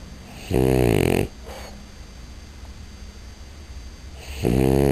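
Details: French Bulldog, a female pet, snoring loudly indoors: two long, harsh, rattling inhalations with rich low harmonics, about four seconds apart, separated by quiet breathing.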